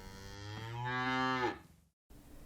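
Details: Zebu mooing: one low, rich, drawn-out moo that swells and rises in pitch over about a second and a half, then breaks off, followed by a brief silence and faint background noise.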